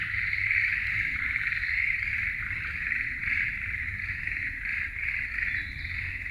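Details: Forest frogs in a continuous chorus. Fast, trilling pulses repeat nearly three times a second in a dense mid-pitched band, with faint low rumble beneath.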